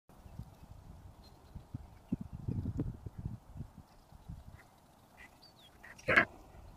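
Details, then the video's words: Red stag, a male red deer, at Margam Country Park in Wales, giving a single short, sharp, harsh bark near the end, after several seconds of low rumbling and rustling background with faint thin bird notes. "Red Stag Barking"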